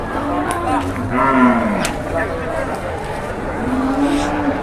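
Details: Big cattle in the morning at Jelok market, Boyolali, Indonesia, giving low, drawn-out moos with arched harmonics against a noisy crowded market background.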